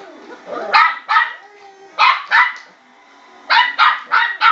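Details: Milo, a West Highland White Terrier puppy around 12 weeks old, barks at a spinning Tracy Beaker bowl: high, sharp yaps in quick pairs and clusters, about nine barks separated by brief quiet gaps.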